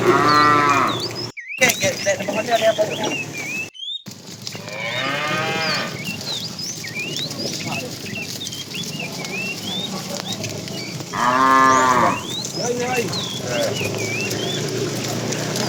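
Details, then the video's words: Tame herd of cows driven along in the afternoon, a fat cow calling the female: long, deep, wavering moos near the start, mid-clip and again around eleven seconds, over steady chirping and twittering birdsong throughout. "The funny sound of a fat cow calling the female"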